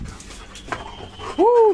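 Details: Black Labrador Retriever being bathed and playing in water indoors; a short, clear whine rises then falls in pitch, lasting a fraction of a second at the end, after a quiet stretch with faint voices and small household noises.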